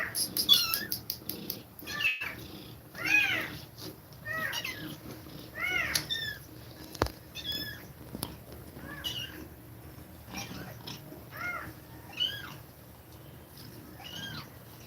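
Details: Domestic cat suckling kittens with fast breathing. A long run of high, arching mews, about one every two to three seconds, varies in loudness. A few sharp clicks and soft rustling sit underneath.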